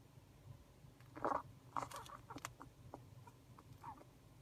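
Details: Pet hedgehog named Uni, unwell, indoors: a short burst of soft sneezes and sniffs around one to two seconds, then scattered faint clicks and snuffles over a low room hum.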